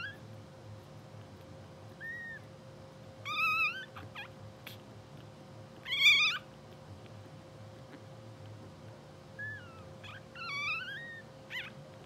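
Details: Blue sable English Bulldog litter at two hours old, puppies twitching in sleep; a series of short, wavering high squeaks and whimpers, several loud ones scattered over twelve seconds, with a faint steady hum underneath.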